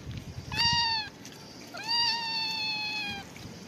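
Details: Homeless cat being given a head massage, producing a short meow and then a longer, steady, slightly falling meow of about one and a half seconds against quiet background rustle.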